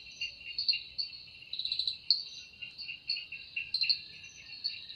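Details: Cicada singing in a forest in the evening, the sound said to come from its wings: a steady shrill high buzz with a lower pulsing trill beneath, swelling in short bursts roughly every half second, no other clear sounds.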